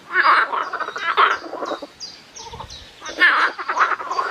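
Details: Night chorus of frogs, a blend of buzzy pulsed croaks swelling and fading, loudest at the start and again after a quieter middle stretch.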